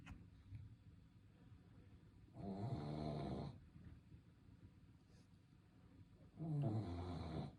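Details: Shih Tzu snoring in its sleep: two long rasping, harmonic-rich snores about four seconds apart, each rumbling low and lasting roughly a second, with quiet breathing between.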